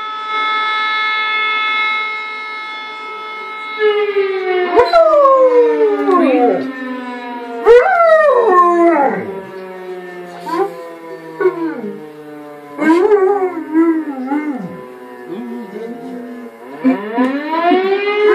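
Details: German Shepherd howling: after steady siren-like tones end, the dog gives long wavering howls that dip and rise again, in drawn-out phrases about every two to three seconds, each sliding downward before the next begins.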